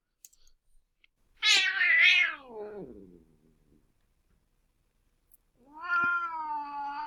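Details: Deaf adult female domestic cat snarling at a playfully attacking young cat, signalling pain and to be left alone; a harsh falling wail of about two seconds, a pause, then a steadier drawn-out moan, with faint clicks.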